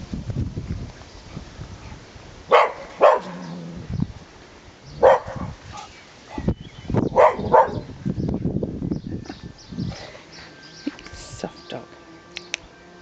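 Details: Dog guarding its house and garden, barking at noisy passers-by: loud separate woofs, some in quick pairs, over roughly eight seconds amid outdoor background noise.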